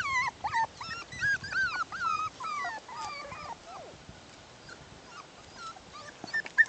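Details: A litter of six-week-old Bichon Poodle puppies, bichon crossed with poodle, at play outside; rapid overlapping high whimpers and squeals crowd the opening seconds, then thin out into a few soft isolated cries.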